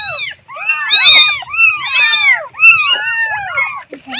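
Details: Loud, overlapping kitten mews calling for the mother, several arched cries crowding together almost without pause, shrill and insistent.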